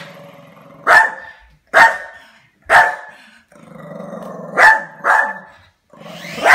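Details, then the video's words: Dog barking at a drone: loud, deep, forceful single barks about a second apart, each ringing with a rough harmonic edge, with a low rumble between some barks. "Dog barking at a drone"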